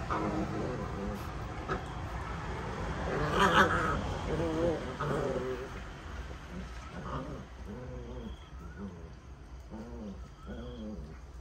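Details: Puppies at play, giving a series of short, arched, growly yelps that come in quick irregular bursts and grow more distinct toward the end, over a steady low hum and some voice-like sounds.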